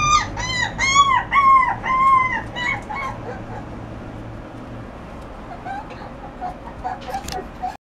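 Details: Shiba Inu giving a quick series of high, arching whines, about two each second for three seconds, then fading to faint, scattered whimpers over a steady low hum.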